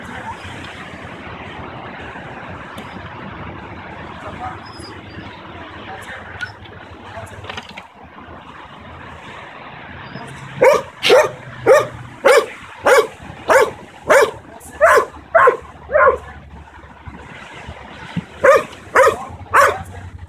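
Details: A 9-month-old Belgian Malinois in protection training, locked on a target, gives a run of sharp, evenly spaced barks on command over traffic rumble.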